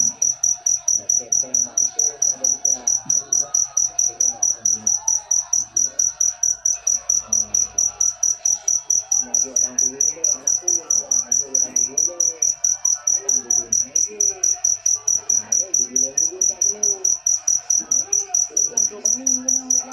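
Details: Continuous shrill cricket chirps repeating evenly about twice each second, sharp and metallic, over a soft background of low, wavering music-like or vocal sounds.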